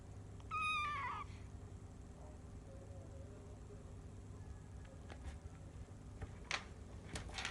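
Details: One of the Bengal cats Shelly and Arthur, three days after first meeting, utters one clear meow that slides downward over under a second, then a faint low murmur, with scattered clicks and knocks afterward.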